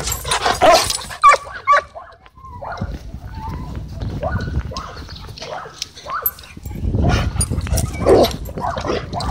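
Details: Playful dogs at a dog park let out short, clipped barks and yips scattered between scuffling noises while they wrestle, with human chatter and outdoor noise underneath.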